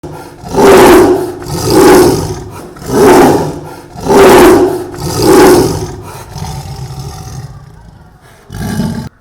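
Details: Angry Indian tiger from Kerala roaring: five deep, rasping roars in a steady series about once every 1.2 seconds, then a fading breathy tail and a short final roar near the end.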